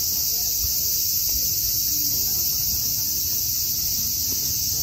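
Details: A continuous shrill cicada drone, constant in loudness and pitch from start to finish, over a soft low background rumble.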